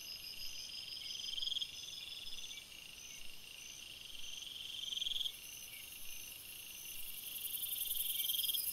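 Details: Crickets chirping at night in a forest: a dense, steady high-pitched chorus of layered bands, with trilled pulses swelling every few seconds and no other sounds.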